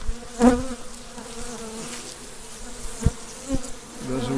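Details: Overwintered Carnica colony during the first spring inspection, calm weather, late queens behind a partition. A brief buzzing burst rises early, then a quieter steady hum with a sharp knock and a renewed buzz at the end.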